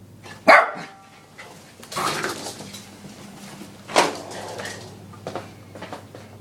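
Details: Young male Lhasa Apso x Maltese cross, about ten months old, barks at a vacuum cleaner in the house: one loud abrupt bark, then a softer one a few seconds later, with a low motor drone throughout.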